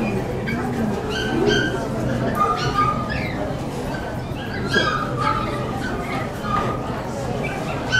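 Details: Poodle club section show in western Saitama, 9 June 2008; Magic, entered alongside Hyuma, was smitten with the other dogs and refused to walk. Scattered high yips and short whiny barks, some rising, punctuate steady hall chatter and talking.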